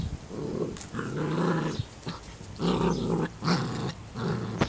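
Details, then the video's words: Excited 11-week-old female Standard Schnauzer puppy growling indoors at a bird feeder: low rumbling growls in bursts of about a second, separated by short pauses, with a faint yip near the end. "Excited Standard Schnauzer pup"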